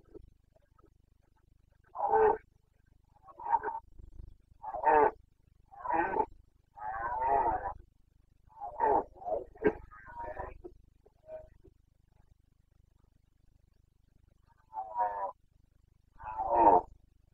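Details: Carpathian red deer stag in the Bucovina mountains during the breeding season, 29 September 2022, giving its rutting roar, boncănit: a run of hoarse, harmonic bellows and groans, some drawn out, others clipped, separated by short silent pauses.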